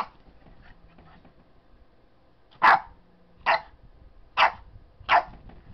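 After a quiet start, a Boston Terrier puppy lets out four short, high-pitched barks, spaced about a second apart. The yappy outburst stakes his claim to the bed.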